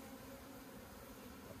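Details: Steady, low, even drone of many honey bees swarming around an opened hive at Meilin, Puning, Guangdong, continuous without breaks, with faint rustling underneath.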